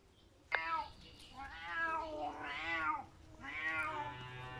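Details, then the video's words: Domestic cat crying: three drawn-out, wavering meows with rich harmonic stacks, each rising then falling in pitch, the middle one strongest and most arched, spaced about one per second in a quiet indoor setting. "crying cat"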